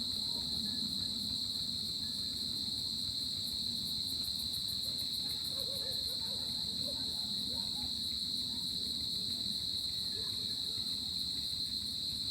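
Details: Cricket chorus on a tropical summer night: an unbroken, shrill, high ringing trill holding one steady pitch, with a fainter rapid ticking layer above and a soft low rumble beneath.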